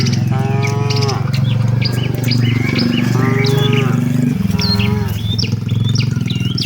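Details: Tame cattle walking with their herd toward the shed give three drawn-out, even moos of about a second each, spaced a second or two apart, over a steady low rumble and scattered high bird chirps.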